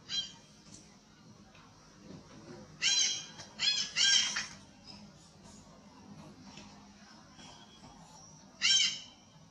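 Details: Heavy monkey being badly abused, loud cries: a few sharp, raspy screams, two or three close together, then a long pause before one more, with quiet murmuring background between.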